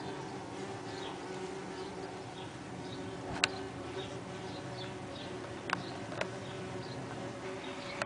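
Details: Saxon wasp nest, 23 June 2010: a constant low buzzing hum from the wasps, punctuated by a few sharp clicks, with soft distant bird twitters behind.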